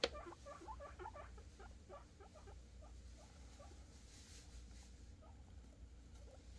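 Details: Male guinea pigs squeaking happily while waiting for food, a rapid burst of short, high, wavering squeals at the start that thins into fainter, scattered chirps over low background hum.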